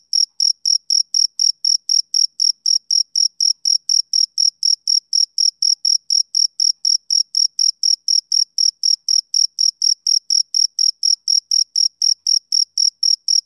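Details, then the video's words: On a summer evening a male cricket repeats sharp, high-pitched chirps at a fast, even pace of around four per second, unbroken for the whole stretch against a silent background. "Cricket Chirping Sound Effect"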